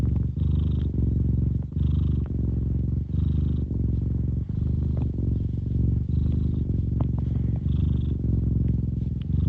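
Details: Cat purring continuously, close and loud, a deep throbbing rumble interrupted by short breath gaps about every one to one and a half seconds, with soft airy overtones on alternate phases.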